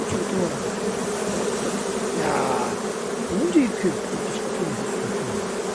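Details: Beekeeping colony of honey bees droning continuously, an even, thick buzz with a layered low hum and a brief rising tone around three and a half seconds.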